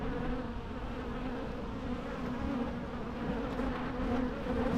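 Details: Natural bee buzzing: a steady, continuous low drone of overlapping wingbeats holding one pitch with faint higher overtones, swelling slightly toward the end, with no other sounds.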